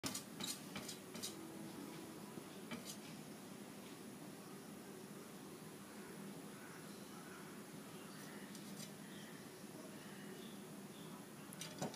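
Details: A quiet indoor room with a steady fan-like hum and a few faint clicks and knocks, and no clear animal voice.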